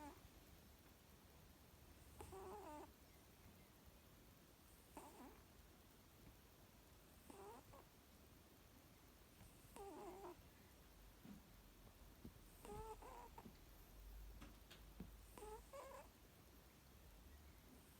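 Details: Sleeping cat snoring softly: faint, raspy breaths recur about every two and a half seconds over a steady background hiss.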